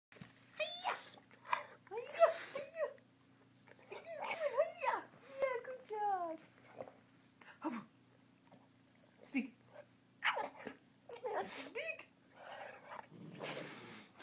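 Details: Oscar the bulldog, a pet indoors, doing karate tricks while making a string of whining, talk-like vocalizations, arching up and down in pitch in short bursts with gaps between, in a small room.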